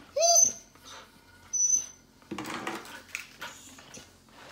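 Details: Pasepon, an old Samoyed told to sit, trembles and pleads to leave, believing a hospital check after forehead surgery is an outing; two clear, high rising whines open the moment, followed by shuffling and rustling movement in a small room.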